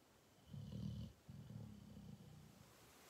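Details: Cane Corso dog snoring: two low, rumbling breaths, the first about half a second long and the second longer and trailing off, in a quiet room.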